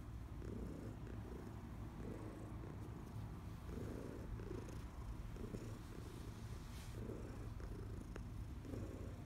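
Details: Heidi, a senior female cat aged about fourteen, adopted from the Humane Society of New York City, purring while being rubbed, July 2021; a continuous low rumble swells and eases in rhythmic pulses roughly every half second.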